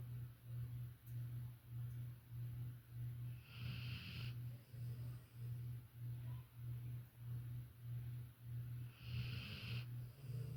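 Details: Low droning snores from Violet, a young female Labrador Retriever fast asleep, rising and falling in steady repeated breaths, with two brief breathy hissing bursts.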